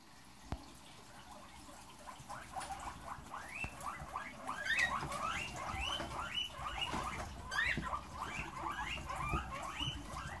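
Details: Herd of caged guinea pigs stampeding once fresh vegetables are put in their cage: dense, overlapping high squeaky wheeks, each rising sharply, nearly two per second, over soft pattering and rustling.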